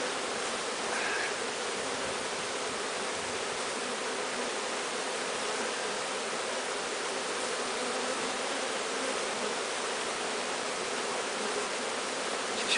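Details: Continuous droning hum of a bee swarm being walked into a new hive after capture from high in a large tree, the buzz holding even and unbroken for the whole stretch with no other clear sounds.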